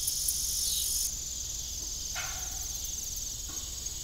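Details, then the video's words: High, unbroken cricket trilling on an evening farm by a disused windmill, louder during the first second then softening, with a short creaking burst near the middle. "Evening Cricket Sound"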